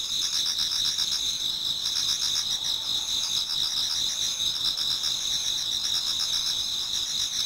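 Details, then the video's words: Many autumn insects singing together in a Japanese garden towards dawn: steady high-pitched trilling bands layered over one another, with rapid pulsing shimmer and a dense, unbroken chorus throughout. "Autumn Insects voice Towards dawn"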